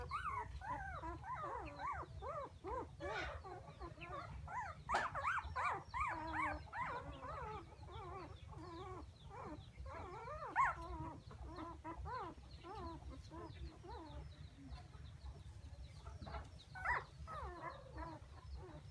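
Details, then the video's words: Puppies crying for their mother: overlapping thin whimpers and yips with wavering, bending pitch, many short cries in quick uneven succession, some louder sharp bursts standing out over a low background hum. "Why Puppies So Crying full Where is mommy?"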